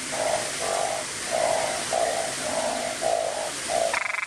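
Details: Small, loud-voiced narrow-mouthed frog recorded at close range with a Nikon camera: a steady run of about seven short nasal croaks, each roughly half a second long, evenly spaced, ending in a brief higher buzzy tone.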